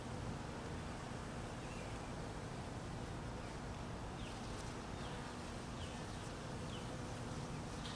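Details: Hungry honey bees in cold weather, buzzing while being fed: a steady, dense low drone hums without pause, with faint brief high chirps from birds in the background.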